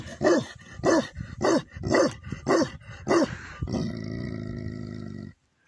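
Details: Five deep, evenly spaced barks, roughly one every 0.6 seconds, from a Tibetan Mastiff (Bhote Kukur) on a yak farm in Nepal, followed by a steady droning tone until the end.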